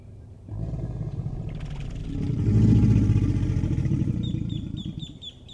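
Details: American alligator bellowing as part of mating behavior, a deep rumbling roar that swells to a peak mid-clip and fades, with a faint repeated high tone near the end.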